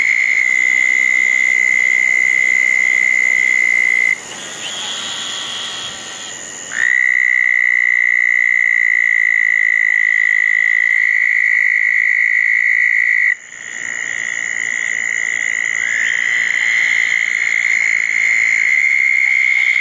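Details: Wet night at small ponds after a June 10, 2014 thunderstorm: southern toads give sustained, high, buzzy-musical trills, with a few seconds of quieter overlapping calls before a long unbroken trill resumes, then more toads join.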